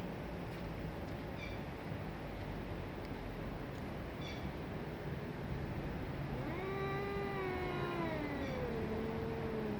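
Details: Domestic cats squaring off in a fight, 2023: a drawn-out, wavering yowl with rich harmonics rises and then slowly sinks during the last few seconds, over a steady rumble of passing traffic.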